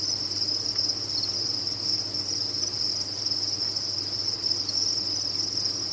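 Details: Steady wall of chirping from many farmed crickets, recorded for tinnitus relief; the high, even trill pulses gently in loudness but never stops, over a low background hum.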